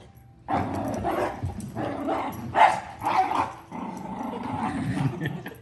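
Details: Miniature and giant schnauzer in a scuffle: loud throaty growls broken by short snapping barks and yips, coming in quick uneven bursts, with music faintly behind.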